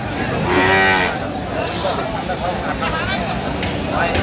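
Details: Cattle at the Aftabganj market in Dinajpur on 8 November 2025, where cows and calves are sold; one loud, drawn-out, deep moo lasting about half a second with rich harmonics, over a steady murmur of people talking.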